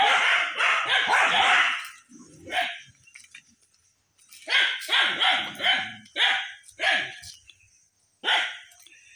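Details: Several village dogs in a jungle behind a house in rural Bangladesh barking as they chase a large monitor lizard; a fast, dense burst of barks, then a pause, then loud single barks spaced roughly half a second apart.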